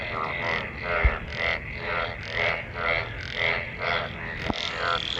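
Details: Frogs calling while mating in monsoon rainwater: rasping, rattling croaks repeated about twice a second in a steady overlapping chorus, broken by two brief sharp knocks.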